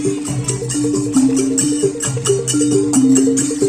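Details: Lively percussion and ringing melodic instruments play continuously, with no animal sound heard.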